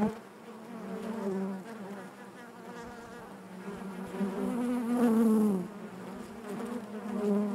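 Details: Honey bees buzzing naturally inside their hive: a dense, steady hum with a strong low drone and layered harmonics, swelling and easing, with a brief louder rising whine near the middle.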